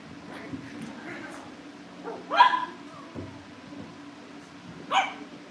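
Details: Cavalier King Charles Spaniel puppies in a family home, watched over a livestream as they are readied for pick-up by new families; two short, sharp yelping barks about two and a half seconds apart over a steady low hum and faint murmuring.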